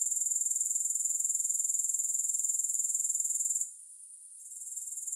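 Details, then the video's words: Steady high-pitched grasshopper chorus without music, a thin sizzling buzz throbbing at roughly four pulses each second, which drops away abruptly for a moment near the end before returning more softly. "Grass Hopper Sounds"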